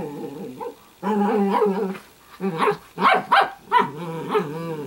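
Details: Italian greyhound puppy named Sparkle vocalizing indoors: drawn-out, voiced growling moans with a steady harmonic tone, in several bursts of about a second each separated by short pauses, rising and falling slightly in pitch.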